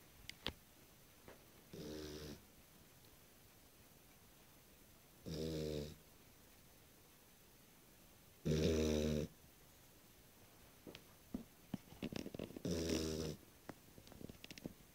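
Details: A Beagle snoring while asleep indoors on its first night: four low, rasping, harmonic snores, each about half a second long, come roughly every three to four seconds, with small clicks and rustles in between.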